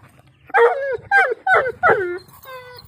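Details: Pakistani Bully dog giving four loud, harmonic, wailing whines in quick succession, each about half a second long with a drooping, falling tail, followed by a fainter steady tone over a low background hum.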